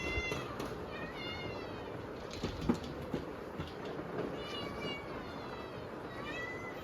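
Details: Hungry kittens meowing at dinnertime on a typhoon day, several calling together: repeated rising-and-falling harmonic meows, bright and insistent, coming every second or so over a steady hiss of heavy rain.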